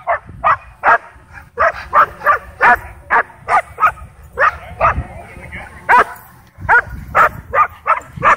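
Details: Dog in a wild frenzy at a dog park as a DJI Mavic 2 drone hovers above, barking steadily in short punchy bursts roughly twice a second, a brief pause midway, then resuming.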